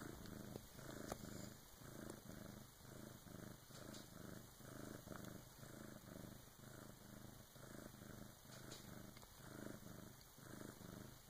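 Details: Bengal cat Karma purring at three in the morning while delivering her first kitten, helped by her big sister; steady low rumbling purr pulsing about once per second throughout, in a quiet indoor room.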